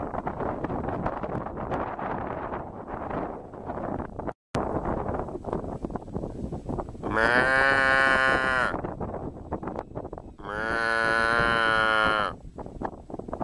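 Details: Cow calling twice, each a drawn-out, richly harmonic, slightly wavering call of about one and a half seconds, separated by a short pause, over steady wind and rustling noise.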